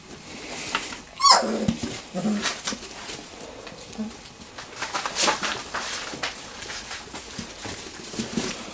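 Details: Wirehaired Pointing Griffon puppies, three weeks old, at play in a garage whelping box; a high squealing yelp sweeps steeply downward early on, followed by scattered softer squeaks and scuffling.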